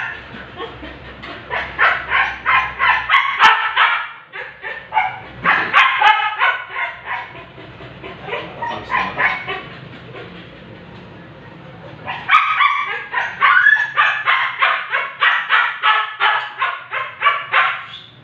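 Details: Siberian Husky during an artificial insemination procedure, giving rapid runs of high, yelping barks about three per second, grouped in bursts separated by short quieter gaps.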